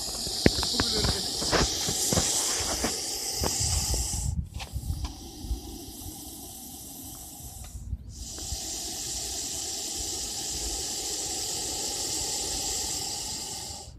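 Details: Russell's viper giving a loud hiss: long breathy bursts of broadband hissing, the first about four seconds with clicking handling noises, a brief pause, then another sustained hiss and a third steady hiss lasting about six seconds.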